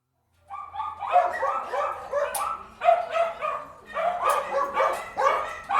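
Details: Dogs barking indoors: a burst of loud, hoarse, mid-pitched barks in quick overlapping runs, several barks per second in clusters with short gaps, sounding like more than one dog, in a room.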